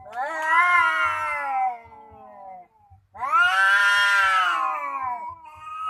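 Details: Cats confronting each other with loud, harsh, wailing yowls. Two strained howls each last about two seconds, separated by a brief silence, before a shorter wail begins. Low muffled bumps sound beneath.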